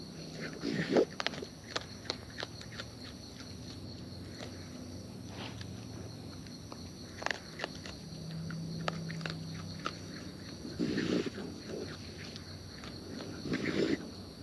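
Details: Raccoons feeding in the wild and filmed close up, with irregular wet crunching and snapping bites about three per second. A soft low murmur lies underneath, and a few heavier rustles come near the start and end.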